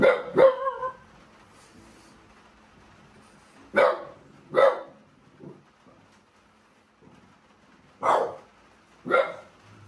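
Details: French Bulldogs indoors in a sunroom during a night thunderstorm as a typhoon nears the Kansai region of Japan, reacting to thunder; sharp barks in scattered bursts, a double bark at the start, then single barks near four, eight and nine seconds, otherwise quiet.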